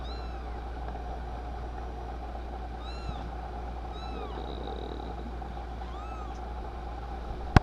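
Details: Two-week-old kitten found abandoned by a river in Louisville along with its littermates, giving faint, thin meows that rise and fall. Four or five short calls spaced a few seconds apart sit over a steady low hum.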